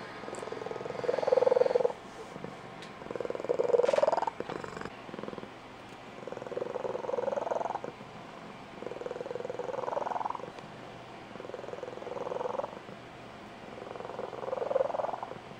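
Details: A female Blue Point Tonkinese cat gives a squeaky, high-pitched trilling purr in rising bursts about every two seconds. It is the purr she uses each morning to wake her owner and when she is excited; her breeder says it is unique to her mother's line.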